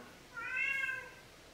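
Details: Talkative male cat replying to a person with a single clear meow, bright and slightly arching in pitch and about two-thirds of a second long. The room is otherwise quiet.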